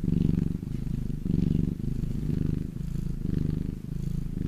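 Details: Domestic cat in the sun purring: low throaty rumble in short breath-paced surges, about one per second, with faint soft rustling.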